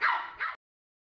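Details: Maltese dog named Candy letting out two quick, high-pitched yappy barks in close succession, the second shorter, followed by silence.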